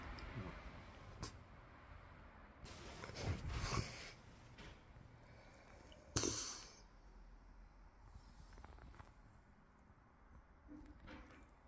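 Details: French Bulldog named Loki waking up in the morning indoors beside its owner: rough, breathy snorting bursts, a longer rasping stretch around three to four seconds and a sharp snort near six seconds, with quiet rustling between.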